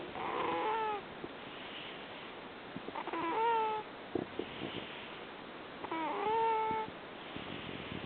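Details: Sleeping rescued cat in Fukui, Japan, snoring with a 'puu puu' sound: each breath gives a whistling, nasal squeak followed by a soft airy rush, repeating about every three seconds over constant background hiss.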